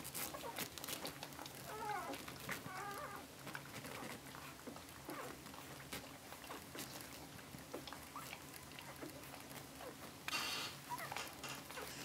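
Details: Cocker spaniel puppies, eleven days old, from the litter of the dog Tindra, recorded 17 July 2011; a few short, thin rising whines and squeaks among near-constant rustling and shuffling, with a louder burst of scratchy noise near the end.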